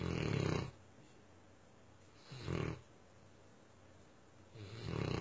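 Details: Myah, a Tosa Inu, snoring: three rough, low breaths roughly two and a half seconds apart, each a short noisy rasp with quiet pauses between.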